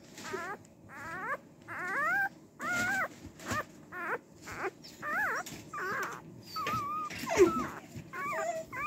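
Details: A female Cardigan Welsh Corgi puppy born March 18 whimpers insistently: longer wavering, sliding whines, some arching up and falling, others held and quavering, coming in close bursts indoors.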